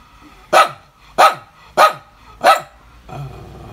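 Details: Dog barking on a July 2019 morning; four strong, hoarse barks roughly every two-thirds of a second, then a softer low growl trailing off.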